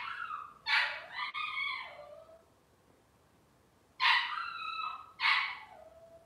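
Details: Cavalier King Charles Spaniel puppies make high-pitched crying whines that bend downward, first a run of three close together, then after a silent gap two more sharp squeals.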